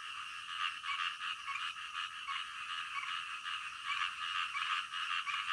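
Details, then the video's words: Frogs chorusing at night, with rough croaks repeated quickly and overlapping into an even, buzzing drone that swells and dips slightly. "SUARA KODOK DITENGAH MALAM"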